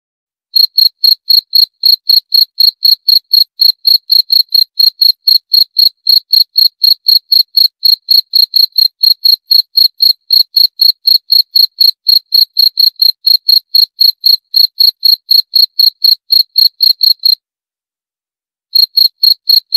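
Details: Cricket chirping in a steady series of short, high-pitched pulses, about four per second, with a brief pause near the end before the chirps resume. No other sounds.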